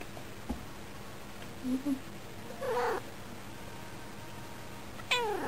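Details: Female domestic cat indoors at a window, watching birds and talking to them in a spoilt, affectionate mood; short soft chirping meows, a longer wavering meow near three seconds and another rising at the end, over quiet room hum.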